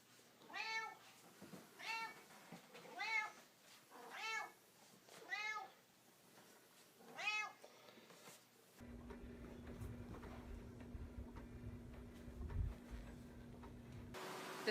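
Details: Fat domestic cat meowing indoors; six clear harmonic meows at roughly one-second intervals, each arching up and down, followed by a steady low hum with faint clicks.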